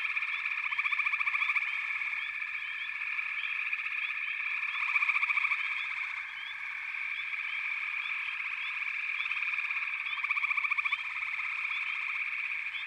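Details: Many frogs calling together in a steady backwater chorus: a continuous layered drone, fast pulsed trills rising in loudness near one, five and eleven seconds, and scattered brief upward-sweeping notes above, with no other sounds.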